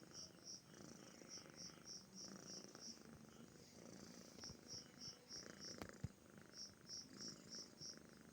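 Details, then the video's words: Rumbling purr from a comfortable cat, rising and falling in regular breathy pulses about three per second, while a cricket chirps in high, quick bursts throughout and one faint tap sounds midway. "kucing mendengkur/purring machine/cat's purr"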